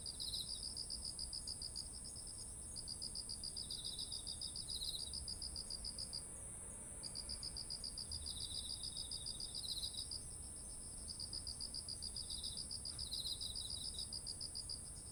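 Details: Autumn insect chorus by rice fields heavy with ripe grain, Japan, ZOOM H1essential recorder: bursts of fast high chirping lasting a few seconds with short pauses, softer lower trills between them, a continuous piercing high drone behind.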